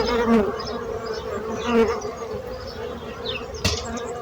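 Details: Bees give a softer, steady drone that briefly swells twice, with a sharp click near the end and faint high chirps in the background.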